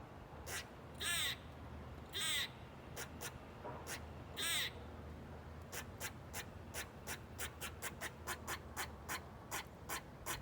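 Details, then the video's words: A squirrel in Bonney Lake, Washington, recorded in 2019, gives harsh, rasping bursts followed by a rapid series of short, sharp chucks; someone wonders whether a cat is around. "Squirrel Making Loud Noises"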